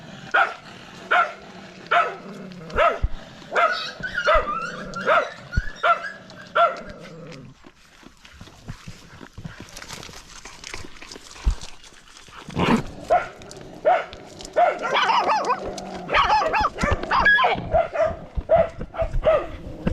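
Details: Dog barking in a fast, steady run of sharp barks for about seven seconds, a quieter pause with faint noise, then a denser, more excited burst of barking resuming for the last stretch.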